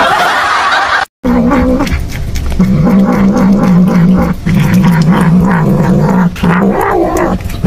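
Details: Domestic cat giving a long low wavering growl, sustained moaning tone with a few pitch rises, after a brief cut at the start; background hiss and noise.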